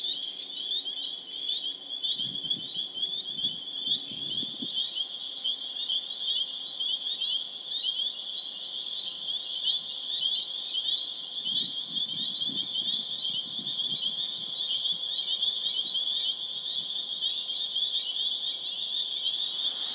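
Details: Spring peeper chorus recorded on April 27, 2011 in Harvard, Massachusetts: a dense, unbroken wall of high, piercing peeps from many frogs, with brief low rumbling sounds around the second and twelfth seconds.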